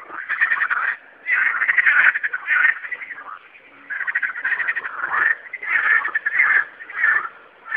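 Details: Frogs singing at night, loud rattling croaks in bursts of about a second separated by short pauses, several callers overlapping in a steady chorus.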